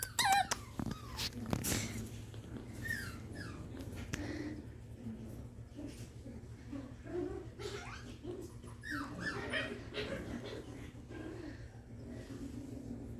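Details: Havanese puppy, a young dog, giving a series of short high yips and whimpery barks, some clustered after a few loud clicks at the start, with low background hum and faint voices in a room.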